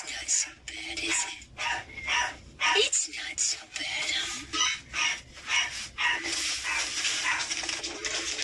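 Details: Angry kittens hissing: a run of harsh, breathy bursts, each lasting a fraction of a second, repeated almost without pause over several seconds, with faint voiced sounds mixed in.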